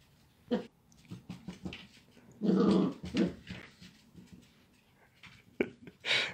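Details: Dachshund producing a rough, throaty growl that swells at two and a half seconds, framed by brief sharp barks and softer grumbles in a small room.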